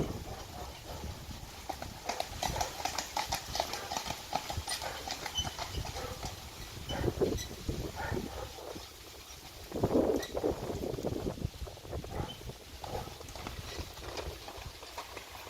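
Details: Two Friesian horses pulling a carriage at a trot through water, June 29, 2019; rapid clip-clop hoofbeats with bursts of splashing, louder surges around the middle and again near ten seconds.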